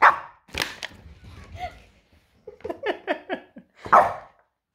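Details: Happy dog giving short bright barks and yips, several bursts near the start and a cluster of quick yaps around three to four seconds, with brief silent gaps.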